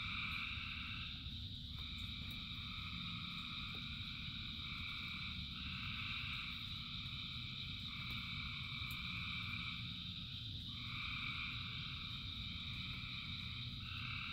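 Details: Thousands of frogs calling during rain: a dense, unbroken chorus of layered trilling tones that swell and shift every two to three seconds, over steady low rumbling rain noise and a constant high hiss.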